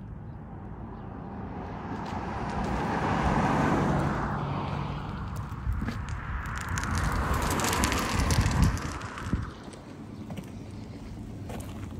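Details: Passing road traffic and wind rumble, with no clear animal voices. Engine noise swells and fades as vehicles go by.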